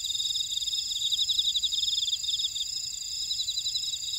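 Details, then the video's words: Field insects in a buckwheat field at Ora-dong, Jeju-si, South Korea, produce a bright, rapidly pulsing trill over a steady high hum of other callers, the pulses strongest midway then softening. "제주 메밀밭의 풀벌레 소리"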